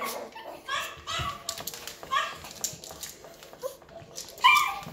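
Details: Two Yorkshire terrier puppies: short, high squeaky whimpers and yelps come in scattered bursts, the loudest near the end, with soft human speech and handling noises.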